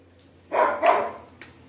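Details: Pet Labrador Retriever indoors giving two quick, loud, gruff barks about a third of a second apart, followed by a faint short after-sound in an otherwise quiet room.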